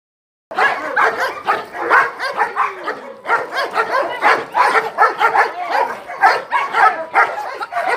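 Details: German Shepherd Dog of DDR line named Lobo, 14 months old, from France, in protection-training initiation with grip and bite exercises on a jute rag and starter sleeve; rapid, loud barks repeat several times per second, with a brief whine near three seconds.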